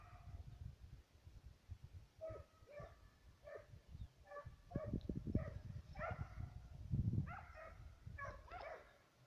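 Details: ['A pair of Serbian hounds on a fox and roe deer trail, giving a fast, uneven run of short distant bays. Strong low rumble and crackling nearby noise partly mask the dogs.']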